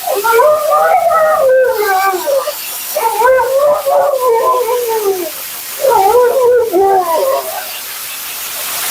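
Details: Vocal Husky Mila during grooming gives three drawn-out, yodelling, up-and-down howls, each lasting about two seconds, over a steady loud hiss of a blower or running water.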